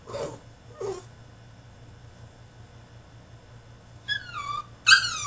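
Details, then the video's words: French Bulldog in his cage during a tantrum: two soft huffing sounds early, a quiet gap, then two sharp, high, falling whines at the end, over a low hum. "FRENCH BULLDOG THROWS TANTRUM IN HIS CAGE!!"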